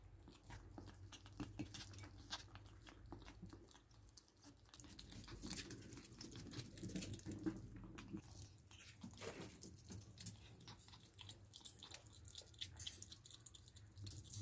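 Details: Pet ferrets eating a raw diet of rabbit carcass, chicken neck and beef indoors; soft wet crunching and tearing clicks come in dense irregular bursts, with quieter pauses and low room rumble underneath.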